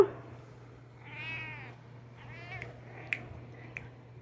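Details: Dodger, a pet cat, meows during an exchange in which its owner imitates the sound: one long, wavering meow, then a shorter second meow, followed by a few sharp clicks over a low steady hum.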